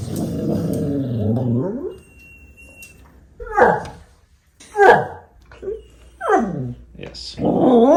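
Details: Happy dog making 'arooo' sounds: a wavering harmonic moan for two seconds, then a quiet gap and four short, sharply falling yelps and whines spaced about a second apart, with possible human voice mixed in.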